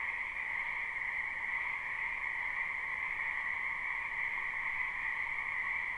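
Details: Spring wetland frog chorus, recorded live without looping: countless overlapping callers blend into a continuous, even trilling hum holding two steady pitches throughout, with no pauses or other noises.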